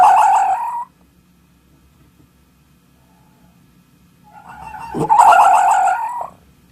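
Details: A fox ends one wavering wail, falls silent for several seconds, then builds into a louder, harsh, quavering cry. The cry holds a nasal, harmonic tone for over a second before stopping.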